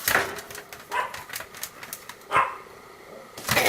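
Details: Pomeranian dog greeting at morning and night with short, sharp barks, about four distinct yaps spread over a few seconds, the loudest near the middle, with quieter breathy sounds between them.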